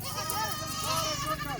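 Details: Nachi goats in Pakistan, kids kept with their mother on a farm; several quavering, arching bleats follow one another closely, nasal and harmonic, with faint human voices mixed in.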